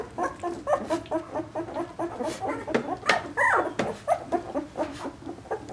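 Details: Litter of two-week-old Vizsla puppies, born to a dam named Piper on 20 February 2012, whimpering and squeaking together indoors; dense overlapping high whines and squeals, several pups calling at once with short rising yelps.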